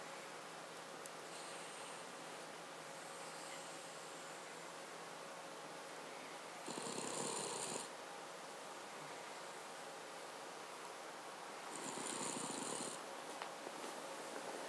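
A Cavalier King Charles Spaniel snores with two raspy, breathy rumbles separated by a few quiet seconds.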